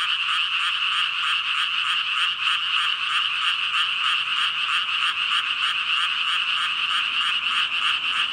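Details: Thousands of frogs, around 5,000, croaking together in a thick continuous chorus; fast overlapping pulses merge into a constant shimmering hum, steady in loudness throughout.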